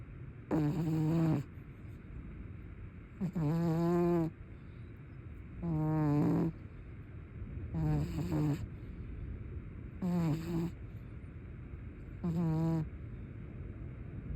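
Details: Pet cat snoring while sleeping with its eyes open. Six low, buzzy, droning snores, each about a second long, come roughly every two seconds in a steady breathing rhythm, with quiet room noise between them.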